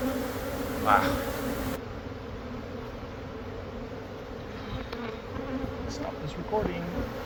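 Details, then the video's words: Steady low drone of many honey bees during removal of a hive living inside a Catholic church wall near a school in Monrovia; continuous hum with brief knocks and scraping sounds. "Super Massive Beehive Removal At A Catholic Church!"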